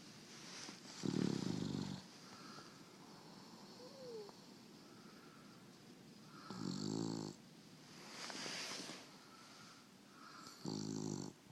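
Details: A female English Bulldog snores in loud, rattling bursts separated by quieter breaths.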